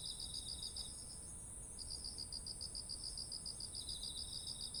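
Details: Insects calling in autumn beside ripened rice: pulsed chirping stops for about a second then resumes steadily, against a constant high-pitched shrill hum and a fainter second chirper.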